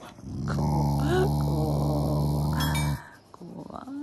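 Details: Pet Shiba Inu growling while eating, as a show of affection toward its owners rather than anger. A steady, deep, rumbling growl lasts about two and a half seconds, then fades, followed by faint indoor sounds.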